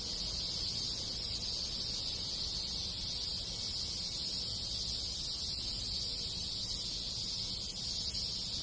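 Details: Many cicadas singing in summer countryside of a rural Japanese village, with other insects: a dense, steady high-pitched hiss that never pauses, with faint rustling beneath.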